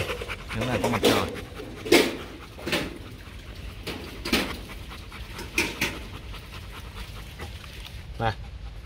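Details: Imported male Rottweiler Bruno, a stud dog kept at a kennel in Hoàng Mai, Hanoi, pants in loud, breathy bursts roughly once a second, interspersed with a man's voice talking nearby.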